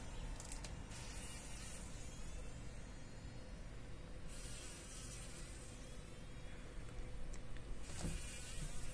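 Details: A fly struggles in a spider web in a workshop on a morning; long buzzing bursts alternate with quieter stretches, with faint clicks and a steady low hum underneath.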